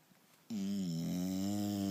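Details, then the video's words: A sleeping English Bulldog named Turbo snores loudly indoors: after a quiet half-second, one long, steady, droning rasp with a low buzzing tone that holds through to the end. "英ブル＊ターボの日常 】またもいびき"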